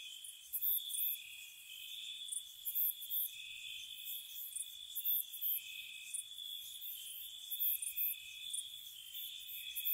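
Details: Gentle crickets on a spring night around a cottage, a steady shrill trill in two close high bands with bright, even higher pulsed bursts repeating roughly twice a second, no other sounds.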